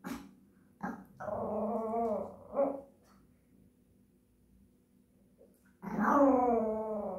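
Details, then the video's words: A Japanese Chin singing songs, giving a long wavering, nasal howl with a short upturned note after it, a pause of about three seconds, then another loud sustained howl rising and falling gently. "Japanese chin singing songs"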